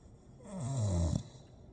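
A Staffordshire Bull Terrier gives a low, rough, snore-like grumble that sags downward in pitch.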